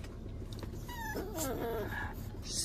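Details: American Bully puppy at a vet clinic for its first vaccination, giving a short whimper: thin high whines rising and falling over about a second, with room noise and a person speaking nearby.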